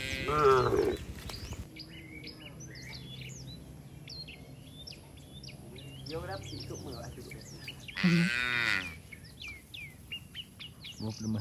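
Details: Tame cattle running toward their barn during rain; several drawn-out wavering moos, one at the start and louder ones around the middle and eighth second, with many small bird chirps scattered throughout.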